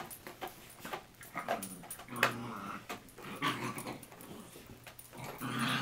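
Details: Two small mixed-breed dogs, a chihuahua-mini pinscher mix and a toy fox terrier-yorkie mix, playing together indoors in an office in March 2011; low rumbling growls and short snarls come in uneven bursts, with scuffling between them.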